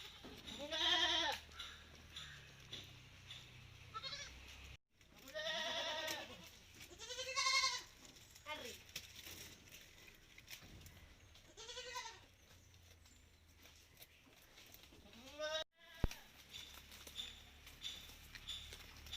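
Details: Malabari goats on a farm, taken outside for the day, bleating in several separate calls spread across the recording, each a wavering, harmonic-rich bleat, with quieter background noise between calls.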